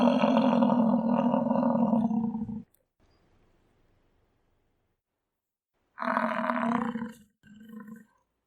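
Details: Low, harsh bellow from an American bison, held for over two and a half seconds, then quiet, then a shorter roar and a brief grunt near the end.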